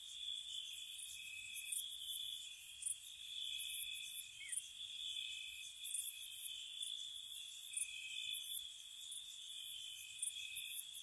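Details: Crickets chirping at night in spring around a cottage, a soft steady high trill running throughout, overlaid by brighter, higher chirp bursts that come and go every second or two; quiet, calm night ambience with no other clear sounds.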